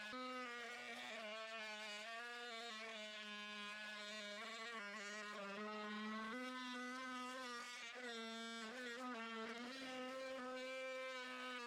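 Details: Angry honey bee buzzing close by as darkness falls during a first-day cutout of a long-time colony in a house wall on March 6. The buzz is steady, rich and nasal, its pitch wavering slightly up and down, and it is heard without pause.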